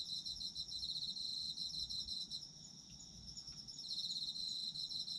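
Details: Autumn insects sing a shrill, quickly pulsed trill over fainter high chirps. The loud trill fades for about a second mid-way while softer chirping continues, then returns at full strength.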